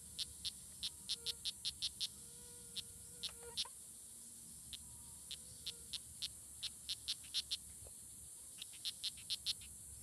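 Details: Fighting strawberry poison dart frogs, Oophaga pumilio, recorded June 24, 2016 at La Selva Biological Station near Sarapiquí, Costa Rica: two runs of rapid, sharp high chirps separated by a pause, backed by a constant shrill insect drone.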